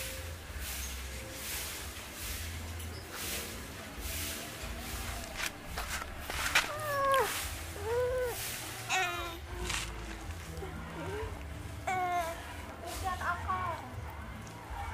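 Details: Orange pet cat repeating short, rising-and-falling meows several times over about ten seconds, with a low hum and background noise behind.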